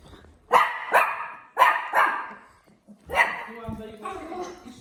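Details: Barking dog: two quick pairs of harsh barks, a short gap, then a single bark, followed by low voices at the end.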